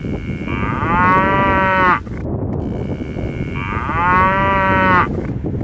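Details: Cow letting out two long, rising-then-steady moos over a constant loud, hissing and rumbling background noise.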